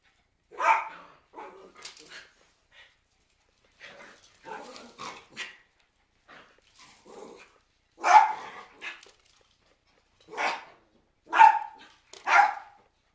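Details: Cairn Terriers giving bursts of sharp barks at irregular intervals, some loud and some softer, with brief quieter yips between.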